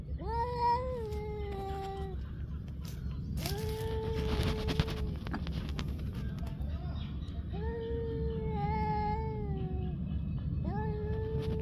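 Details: Stray street cats fighting: long drawn-out wavering yowls, each holding a steady moaning tone for one to two seconds and then sliding down, repeated several times over a constant low rumbling background.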